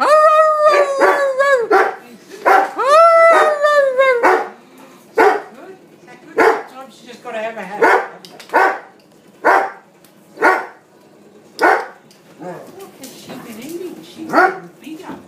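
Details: Rhodesian Ridgeback singing for its supper: two drawn-out rising-and-falling howls open, followed by a run of short yelps and barks spaced roughly one second apart, with a person speaking encouragement in between.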